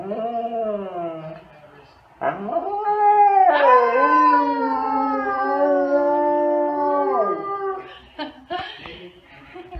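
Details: Siberian Huskies calling together at full force; one gives a long, wavering howl, rich in overtones and sliding slightly in pitch.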